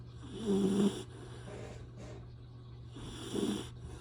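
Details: A young Retriever puppy, adopted three days earlier, snores in its sleep: two brief nasal rasps separated by a quiet pause, with a constant low background hum.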